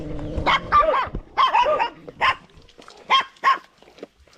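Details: Dog barking in short bursts, six loud barks in about four seconds, some doubled, with a low droning noise behind the first second.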